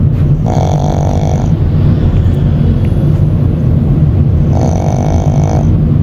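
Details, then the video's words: Sleeping Shih Tzu puppy, worn out after grooming, on the car trip home; two drawn-out buzzy snores about four seconds apart above a constant deep vehicle drone. "시츄 강아지 코골이"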